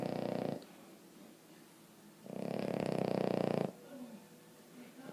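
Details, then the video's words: Emma Mae, a Boston Terrier, snoring loudly while asleep; broad rattling snore bursts, one short at the start and one long burst lasting about a second and a half, separated by quieter breathing. "Emma Mae snoring"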